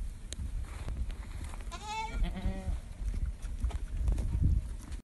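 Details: Ardi goat from a sale listing of a rubaa-age buck and a doe kid under a month old, 35 km west of Al Rass. A single wavering bleat of about a second with clear stacked harmonics rises above steady low wind rumble.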